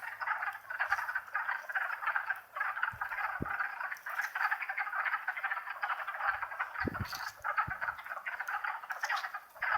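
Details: Wood frogs in a spring chorus, Longkill Woods, April 2014, on a warm day near wetlands; many overlapping low, duck-like clucking croaks form a dense continuous rattle, with a few footstep thumps as the recordist walks closer.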